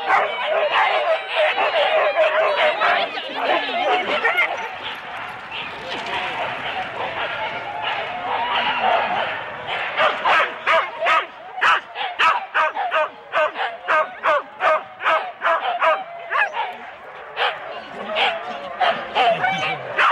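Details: Husky teams of four dogs barking at a sled race start, Rendlesham, January 2016, recorded on analogue cassette tape. A dense din of dogs and people gives way to rapid, steady barks, about two to three each second.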